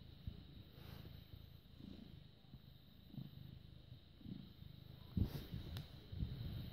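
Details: Purring British Shorthair cat, born 18 August 2010, filmed 6 May 2017 at 21:55; deep, rough rumble rising and falling with breaths roughly once a second, a few louder rustles near the end.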